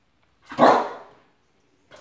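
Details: Loki, a spoodle no longer quite a puppy, chasing shadow animals indoors gives a single short bark, followed by a faint second sound at the very end.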